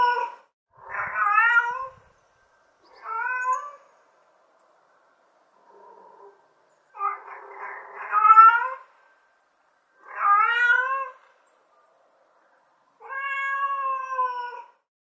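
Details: Mother cat calling for her kittens: about six tonal meows, several rising then falling, spaced two to three seconds apart, plus one faint, soft mew. The background is quiet.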